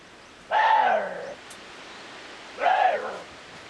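Two harsh, hoarse screams from a water deer, each under a second, strongly harmonic and slightly falling.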